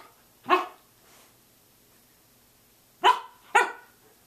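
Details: Samoyed dog barking at 6:00 a.m. indoors: three sharp barks, one alone then a quick pair about half a second apart, each a broad burst with bright harmonics, quiet room between them.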